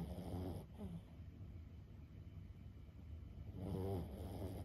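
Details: Two bouts of throaty, rattling snoring from Lulu, a 15-year-old Boston Terrier fast asleep, each about half a second long and separated by three quiet seconds of soft breathing and low background hum.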